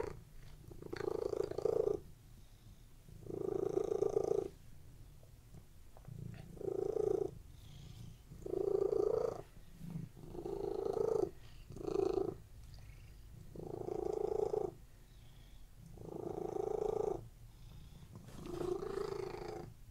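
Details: Relaxed domestic cats lying on a bed give a continuous low purr, rhythmic vibrating bursts roughly every two seconds with short quieter pauses between breaths.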